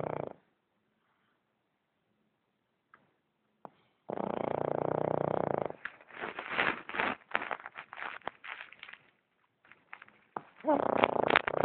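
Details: A Boston Terrier snores (roncando) in rough, raspy bursts after a brief quiet stretch.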